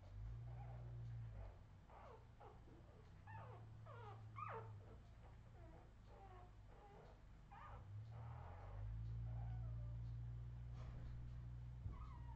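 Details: Australian Terrier puppies from a 2018 Redwing litter give a busy run of high, wavering whimpers and squeaks, several each second, some rising and falling in pitch, over a steady low hum.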